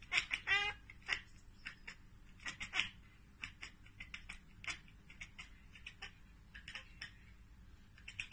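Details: Domestic cat chattering at a bird or insect it cannot get to: rapid, clicky staccato bursts in short clusters, one quick run near the start, then scattered quick ticks and stuttering pulses through about eight seconds, fairly quiet overall.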